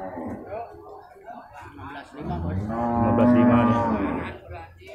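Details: Cattle for slaughter at an animal market in Purwakarta, Indonesia, 15 July 2024. Murmuring voices first, then a rising, strong moo about two seconds long with rich harmonics. Market noise and faint music beneath.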